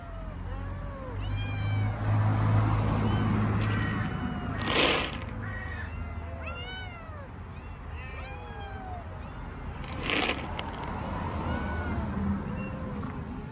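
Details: Several hungry homeless kittens (Felis catus), strays on the street in Istanbul, meow loudly and constantly, their high arching cries overlapping; begging for food out of hunger.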